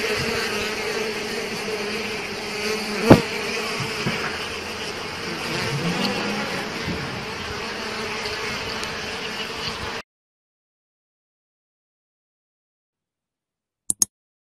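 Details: Bees attacking an Asian hornet: a dense, continuous buzzing hum for about ten seconds, broken by one sharp click near three seconds. Silence follows, with a brief click near the end.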